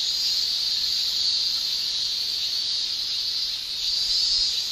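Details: Constant high, sizzling shrill of male cicadas singing with their tymbals in a Japanese summer, a seamless chorus with slight surges near the end.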